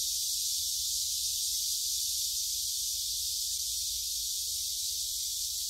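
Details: Gyerim woodland in Gyeongju on 16 July 2022, recorded on a phone during a walk: a continuous shrill cicada drone, uniform and high, dominates the short stretch with only faint scattered sounds below.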